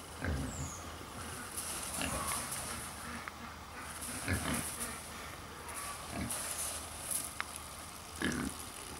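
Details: Two Hungarian Mangalica woolly pigs, an endangered breed, in their enclosure at a mini zoo in Wanne-Eickel in Germany's Ruhr area, grunting while cuddling; short, faint, rough grunts come a few seconds apart over a steady background hiss.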